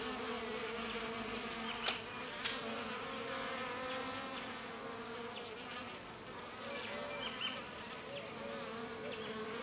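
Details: Drinking bees caught fighting. A dense, even buzzing drones for the whole stretch, with a few sudden clicks and faint high chirps over the hum.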